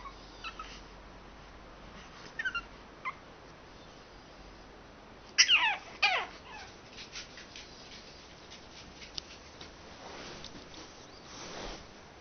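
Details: Pug named Kuzya acting as an alarm clock indoors, giving a few short, high whining whimpers with brief yelps, mostly clustered midway, between long quiet stretches with faint room noise.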